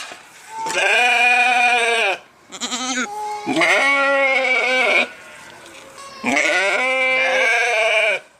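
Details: Sheep bleating in three long, loud, wavering calls, each about a second or more, rich and nasal with many harmonics, separated by short quiet gaps.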